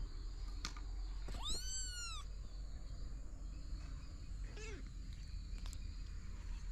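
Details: Kitten from a family of three kittens with their mother cat, found in a house storeroom, gives a loud high meow that rises then falls, with a shorter, fainter meow later; low rumbling background.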